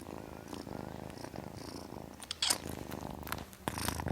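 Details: Kitten purring in a low pulsing rumble, with sharp bursts of breathy noise and handling sounds near the middle and end.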